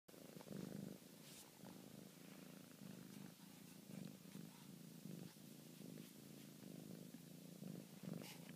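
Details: Contented, sleepy domestic cat purring indoors: a steady, low, rumbling purr runs throughout, swelling and easing in a breathing rhythm, with a few faint clicks and soft higher rustles above it.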